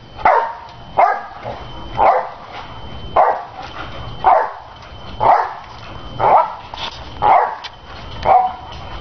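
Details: Nene, a big dog, jumps on a trampoline while being cheered on. A gruff bark or bounce bursts out about once a second, nine times in a steady rhythm, over a thin continuous high tone.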